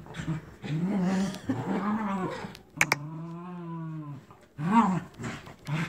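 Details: Terriers Captain Jack and Scarlett growl through a tug-of-war over a toy duck: rough growls, a sharp clack, then a steady drawn-out growl over a second long, followed by more rumbling bursts.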